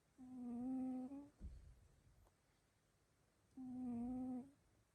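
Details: Sleeping cat snoring extremely loudly indoors: two drawn-out snores, each about a second long, a steady low droning tone rich in overtones, separated by a quiet pause of over two seconds, with a soft rustle after the first.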